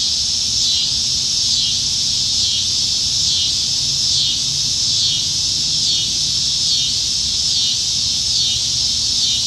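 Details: Cicadas singing in Nebraska trees on a July 2019 summer evening at the peak of summer; loud, sustained high buzz with rhythmic wavering swells roughly once a second, over a faint low-frequency rural hum.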